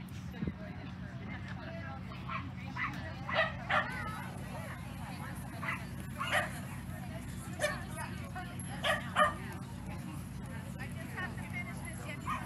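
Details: Sealyham terriers barking at the Skaha Dog Show, August 29 to 31, 2023: scattered sharp barks in uneven bursts, a few louder ones standing out, over a constant low hum with faint voices.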